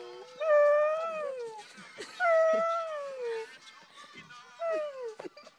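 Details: Singing dog recorded in Jville in 2012 gives three separate howls, each arching then falling in pitch over one to two seconds, with short breaks between and people talking in the gaps.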